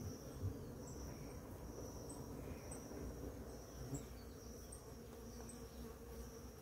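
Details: Many bees feeding on flowering ora-pro-nobis in the morning make a steady low hum. Short, faint high chirps recur about every half second above it.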